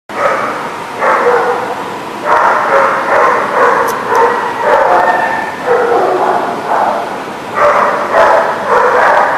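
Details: Dogs recorded on September 21, 2019, barking almost nonstop in overlapping bursts, with several voices at once forming a dense, ragged chorus and only brief dips between volleys.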